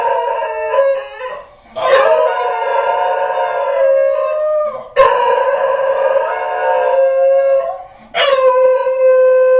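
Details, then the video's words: A pair of Basenji dogs, caught on a hidden camera, howl in long, wavering, yodel-like bouts after their owner leaves home, apparently missing their owner. "Hidden camera captures howling Basenji dogs"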